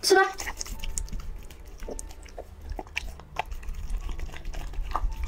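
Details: A pet dog eating as it is fed indoors: a short burst of human speech opens, then irregular crunchy bites and chewing clicks follow in quick succession over a steady low room hum.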